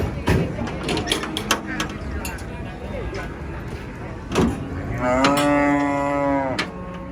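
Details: Giant female cow turning enraged while being loaded beneath a tree said to be haunted, bellowing one long, loud, steady moo near the end after a run of sharp knocks and thumps from the handling.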